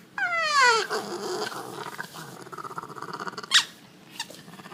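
A French Bulldog gives a high, falling whine, then quieter grumbling snorts.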